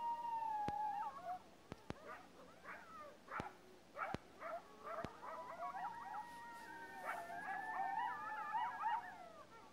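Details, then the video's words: Coyotes out in the field howl together: wavering, drawn-out notes mixed with sharp yips and quavering barks. "Coyotes Howling"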